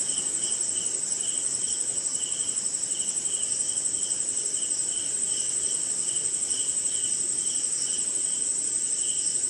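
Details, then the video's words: Insects chirp during a rainy night in India. A steady, piercing high trill runs throughout beneath lower rhythmic pulses, with faint rain patter. "Cricket & Swamp! Forest Sound"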